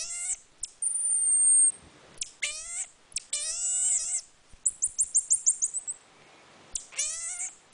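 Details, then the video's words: Captive marmoset calling: a long, thin, high whistle, then harmonic falling cries, then a fast run of about eight sharp high chirps, ending with one more cry. "the Monkey making weird noises"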